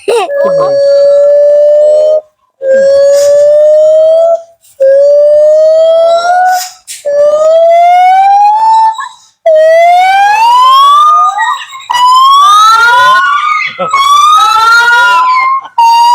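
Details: A caged gibbon at Huai Sai zoo near Cha-am, Thailand, gives very loud, pure hooting notes that swoop upward and grow faster and higher toward a climax.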